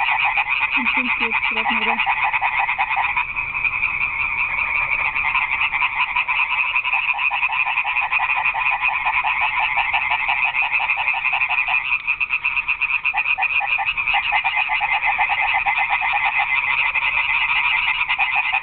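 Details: Night frog chorus in a garden pond: dense, rapidly pulsing croaks from many frogs merge into a continuous rattling wall of sound. Brief lower-pitched notes appear near the start.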